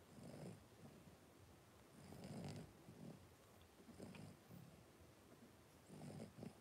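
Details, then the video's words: Five 3-week-old blenheim Cavalier King Charles Spaniel puppies wrestling and playing in a home puppy pen give soft, low grunting snorts in short bursts, four spaced clusters over several seconds, with faint hiss in the background. "3-Week-Old Cavalier Puppies Wrestle and Play Live"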